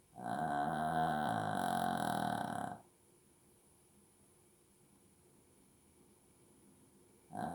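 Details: A Shih Tzu snores while asleep, giving a long, buzzy, rattling breath followed by a quiet pause before the next one.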